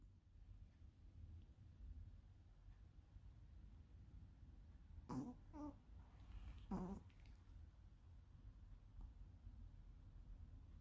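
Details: Ponzu, a pet Pomeranian, snoring like a tuba: three short, deep honking snores bunched together midway through, with quiet low room hum before and after.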